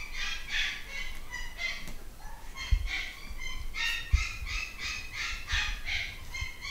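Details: Young Malshi puppies, nine weeks old, from a British breeder's new litter, keep up shrill, stacked yelps in uneven bursts, several pups at once, with occasional bumps and knocks in the background.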